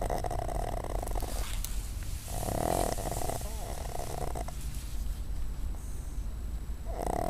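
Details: A sleeping female dog named Cuddles snores while lying on a desk, giving about three rasping, buzzy breaths at uneven intervals over a steady low indoor hum.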